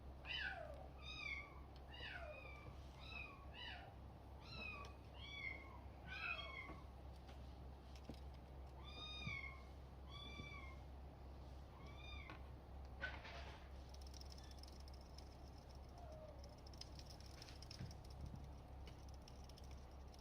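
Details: Male Bengal kitten born on June 21, at a breeder's home, meowing repeatedly in a quick series of short, high, bent mews, then quieter with a few later mews and a steady low hum indoors.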